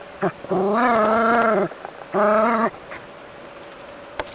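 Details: Jack Russell terrier squaring up to a rat snake makes two sustained, slightly wavering whining cries, the first over a second long and the second shorter. A few faint clicks come between them.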